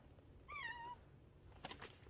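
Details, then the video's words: Stray cat outdoors on a cold day, coming out when called; one clear, drawn-out meow that falls slightly in pitch over half a second, then rustling and soft handling noises, with a woman speaking gently nearby. "동네 떠나가라고 우는 길고양이"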